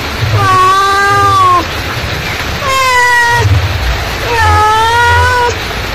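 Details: Mother cat calling: three long, drawn-out meows, each about a second and a half with a slight rise and fall, separated by short pauses, over a faint low background hum.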